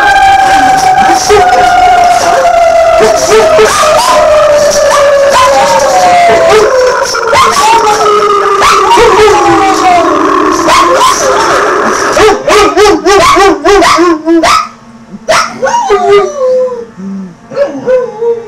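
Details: Kisko and Nanuk, two dogs, howl along to sirens: a long descending drawn-out howl for ten seconds, then broken wavering yips and short howls as the sound tapers, ending in quieter choppy cries.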